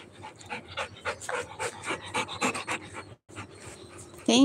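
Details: Rottweiler puppy named Roy panting rapidly while playing fetch and bringing back a ball; quick breathy bursts repeat several times a second for about three seconds, with a brief pause, then a sharp scrape at the end.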